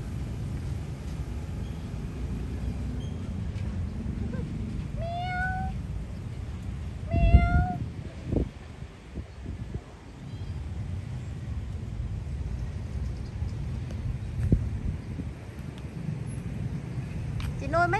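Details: Feral cats hiding out in an old abandoned train give two clear, falling meows a couple of seconds apart, then a rising meow at the very end, over a steady low rumble and occasional knocks.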